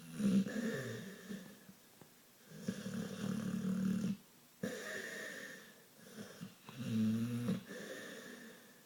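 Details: Brownie, a pit bull asleep indoors, snoring in rough, low rumbling breaths, each drawn-out snore lasting one to two seconds with short quiet gaps between, several in a row.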